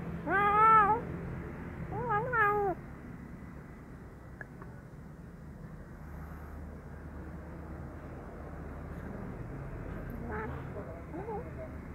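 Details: Wary brown kitten offered fish sausage gives two quick wavering meows in the opening seconds, then only faint, softer mews against steady low rumble.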